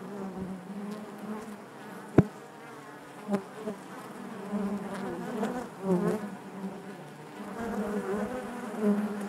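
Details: A hive of honey bees drones steadily. The buzzing grows fuller in waves, with a sharp knock early on and a few softer clicks scattered through.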